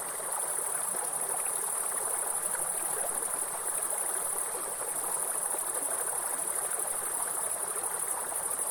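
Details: In a forest, a grasshopper gives a continuous, very high, even-toned buzz without a break from start to finish, over the broad, hissing roar of a waterfall or stream.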